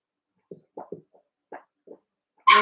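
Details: Cavalier King Charles Spaniel puppies, eight young littermates including Mochi and Chance, wrestling and playing together in an indoor pen: a run of short, soft low grunts and yips, then one sudden loud, sharp squeal at the end.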